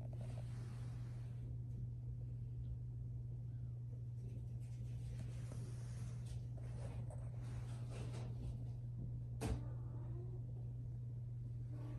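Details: A quiet indoor room with a constant low electrical hum, faint rustles and a single sharp knock near the end; no animal voice is heard.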